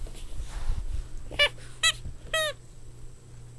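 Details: Playing Boston Terrier puppies let out three short, high squealing yelps spaced about half a second apart, the last one longer and wavering, over soft shuffling and a constant low background hum.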